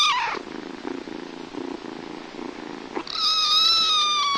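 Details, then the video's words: Cat purring in a low, pulsing rumble for about three seconds, broken off by a long, loud, steady meow that slowly falls at the end. "Мяуканье котят,кошек, кота мяуканье Сборник HD. Kittens meowing,cats meowing Compilation HD."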